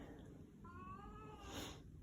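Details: Domestic cat greeting its owner at home with a short, soft meow under a second, level then falling, amid low room noise and a brief rustle afterward.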